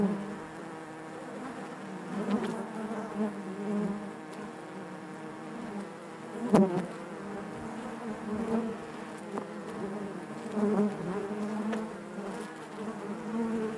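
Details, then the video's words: Honey bee hive interior full of natural buzzing: a constant low droning hum, with a sharp knock near the middle and gentle surges in intensity over about fourteen seconds. "bees therapy hive natural buzzing sound"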